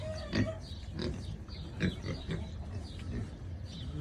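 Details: Sleeping Kunekune pig snoring: low, rough, breathy pulses repeating roughly every half second to one second, each a short broadband burst with a deep rumbling base, steady throughout.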